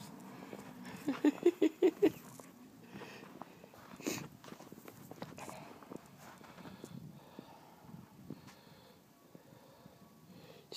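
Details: Pekingese puppy named Pablo playing in the snow gives a burst of five quick, high yaps close together early on, then falls quiet amid crunching, shuffling footsteps and rustling.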